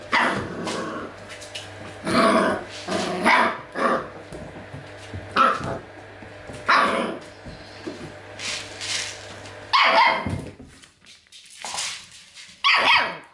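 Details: Dogs of a Golden litter during training with acoustic and optical stimuli: short harsh barks in scattered bursts roughly every one to three seconds, some in quick pairs, over a steady low hum and background rustling.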